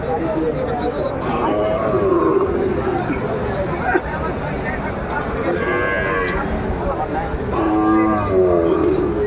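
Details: Sahiwal calves at a Gazipur cattle market during bargaining: a couple of moos near the end, partly masked by loud crowd talk and general market bustle.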